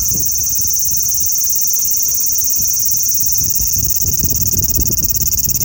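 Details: Continuous shrill buzzing of a large brown cicada dominates throughout, a dense unbroken hiss, over a low rumbling background of wind or passing traffic.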